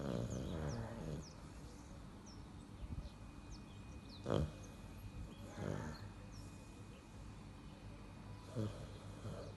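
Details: Sleeping little black leopard snoring: deep, raspy breath sounds recurring roughly every four seconds, one sharp loud burst in the middle, over a bed of bright chirping birdsong.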